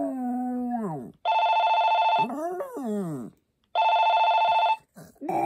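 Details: Poppy, a Maltese dog, gives a sliding, descending howl with a wavering middle section, alternating with loud, steady electronic ringing tones that cut in between the howls.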